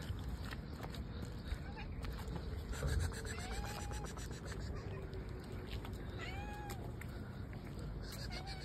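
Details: Cat giving a few faint, arched mews, spaced a second or two apart, against a constant low background rumble.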